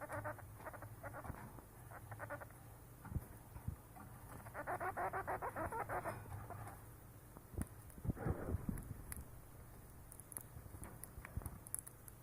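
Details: Siberian chipmunk named Mame purring in the throat because she wants food, perhaps affectionate begging; bursts of rapid pulsed churring come in runs, with a rougher sweeping burst near the end, over a low steady hum.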